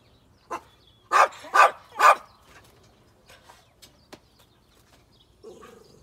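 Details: Irish Terrier searching for a mouse alongside a dog named Skippy: a short yip, then three strong barks about half a second apart, followed by quiet whines and a low whimper near the end.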